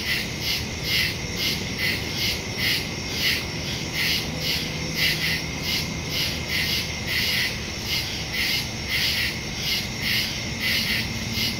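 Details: Nighttime woodland crickets recorded September 2 using a phone and stereo microphone, giving overlapping high pulsed chirps in quick succession, a continuous shrill trill beneath, and a faint low tone midway.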